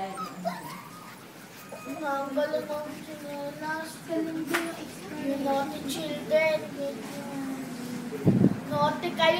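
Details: Five-week-old male Labrador Retriever puppies from a first litter whimper and whine together, many short high quavering cries overlapping through the clip, with a brief thump near the end.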